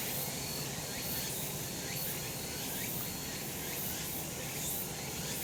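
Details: Summer mountain cicadas in sunlight, a continuous shrill buzzing wash with faint upward-sweeping notes recurring roughly every second and a steady low background hum.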